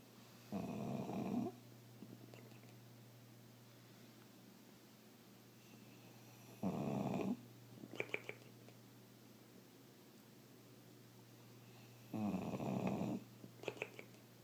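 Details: A pet bulldog snoring, making a strange noise: three long rasping snore bursts roughly every six seconds, each followed by brief snuffling clicks, with a steady low hum underneath.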